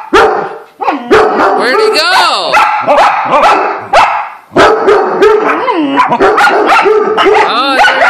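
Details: Dogs erupting at a squirrel: frantic layered barks and quavering, yodelling yelps from several animals at once, nearly unbroken, with a human voice among them.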